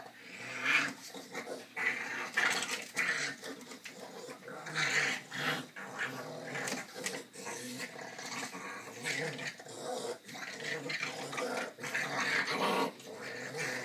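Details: Dog growling during play time: rough, rasping growls in uneven bursts, with snorts and short pauses between them, and faint human voices in the background.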